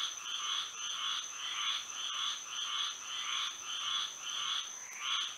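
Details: Frogs calling at night in Florida under moonlight: a steady chorus of harsh, nasal pulses, roughly a hundred per minute, in overlapping bursts, with a constant high insect-like whine running through.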